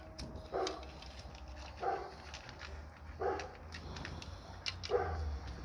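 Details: An American Pit Bull Terrier gives four separate barks at uneven gaps of about 1.3 to 1.7 seconds, each a short gruff burst, over a constant low rumble.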